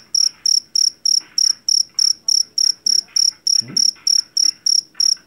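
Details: A jangkrik jeliteng, a loud Java field cricket caught in a paddy field, gives clean, regular, high shrill chirps about three times a second, each a short buzzy trill, with a brief low thud midway.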